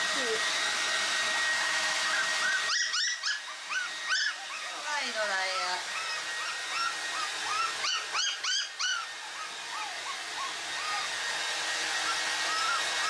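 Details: Toy Poodle puppies, a pair on their first bath day and in a panic, let out a rapid string of shrill, arching whimpers and yelps, several a second at times, over the steady roar of a hair dryer.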